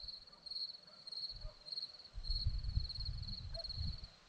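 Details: Crickets singing on a hillside near Zorlesti, Romania, giving a shrill, evenly pulsed trill in pulsing bursts, partly covered by a louder low rumble of wind or handling noise.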